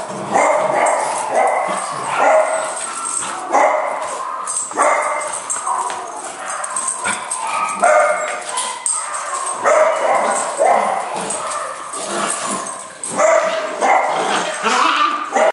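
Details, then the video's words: Indoor rough-and-tumble between two puppies, Copper among them, on a bitter-weather day; a steady stream of yapping barks, yips and whiny growls, closely spaced throughout, over constant scuffling. "Wild and Crazy Puppy Play"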